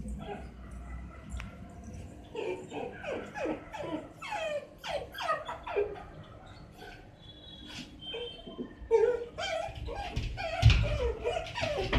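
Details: A six-month-old Miniature Dachshund puppy whines and cries at night in high, wavering, drawn-out notes, wanting to be let out; Miniature Dachshund.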